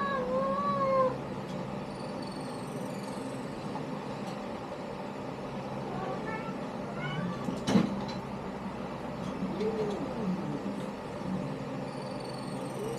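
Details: A litter of kittens belonging to Lini: a clear wavering meow opens, then fainter, scattered high mews follow over a constant low background hum, with a brief sharp knock partway through.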